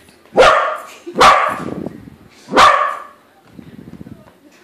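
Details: A corgi meeting a balloon version of itself lets out three loud barks in quick sequence, then low muffled sounds trail off.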